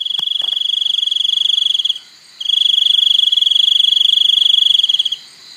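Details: High, rapidly pulsed cricket trill running in long bursts with a brief pause between them. A few faint ticks are heard early on, and the trill is otherwise uninterrupted.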